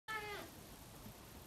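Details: A playful male pet serval gives one short, clear mew that slides downward at the end while his owner asks what he wants, perhaps to go outside.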